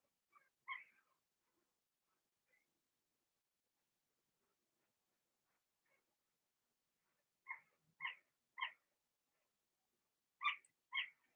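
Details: Young Blenheim Cavalier King Charles Spaniel puppies in a home puppy pen, one litter of six; a few isolated squeaks, then clusters of short high yelping whines in quick pairs and triplets, room otherwise silent.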